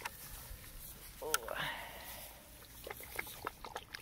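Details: German Shepherd puppies play wrestling; one short, harmonic yelp bends upward and fades, followed by soft scuffling clicks and a person talking nearby.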